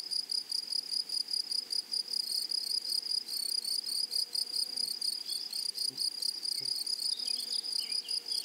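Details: Meadow grasshoppers on a flowery prairie make a continuous high-pitched pulsing buzz in rapid, uneven bursts. A few short bird chirps slip in toward the end.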